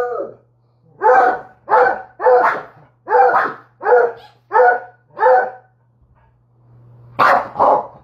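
A Treeing Walker Coonhound gives a run of loud, deep barks in quick succession.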